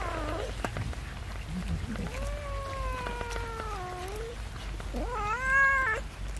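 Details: Domestic cat among cats and kittens being fed rice with fish, giving two drawn-out tonal meows: a long, slightly falling one lasting about two seconds, then a shorter one that rises and holds level, over low rumble and soft clicks.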